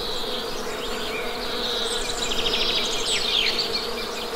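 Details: Continuous low buzzing of honey bees forms an even droning hum; higher up, a bird adds fast trilled phrases and short whistled notes near the end.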